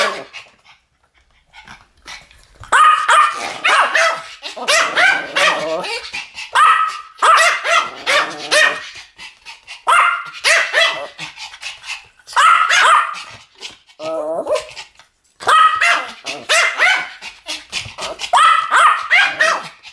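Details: Pomeranian duet barking: after a quiet start, bursts of rapid, high-pitched yapping come in groups of several barks, separated by brief pauses, and carry on for about twenty seconds.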